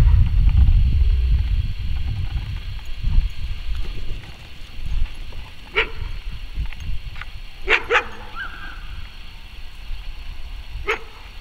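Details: Malamute akita mix dog giving a handful of short, sharp barks spread across the second half, including a quick double bark, with one brief whining tone; low rumbling background noise is loudest at the start.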